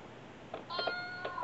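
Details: A brother-and-sister pair of pet cats in Osaka, Japan, playing with a cat coin bank; a short harmonic meow with a few soft clicks around it, ending in a sharp tap.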